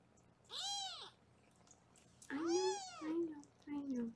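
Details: Foster kittens being weighed at a live kitten cam room in Los Angeles; two bursts of high, arching meows, the first thin and shrill, the later ones lower and longer with a short tail-off, in a quiet indoor room.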